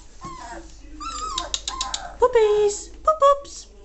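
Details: German Shorthaired Pointer puppies, three weeks old, getting noisy: soft wavering whimpers and short whines, with a low human voice partly mixed in.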